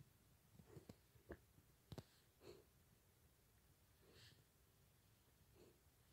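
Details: Four-month-old pet pig snorting quietly indoors: short breathy snorts and sniffs, a cluster of sharp puffs in the first two seconds, then softer, more widely spaced exhalations.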